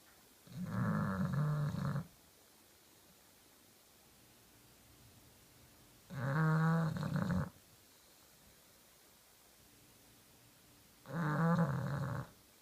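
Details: Kenta the pet bulldog snores in deep sleep: three rough, throaty snores, each over a second long, spaced about five seconds apart with quiet breaths between, indoors.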